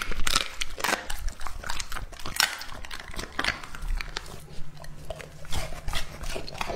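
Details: Lucky, a two-and-a-half-year-old English-type Labrador Retriever, chews and bites raw meat. Loud wet crunches open the passage, then the chewing settles into quieter irregular smacks over a steady low hum.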